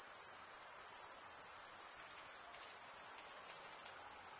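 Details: Crickets chirping at night in a summer forest: a steady, shrill, high-pitched trill that runs unbroken throughout, with a faint soft hiss beneath and no other clear sounds.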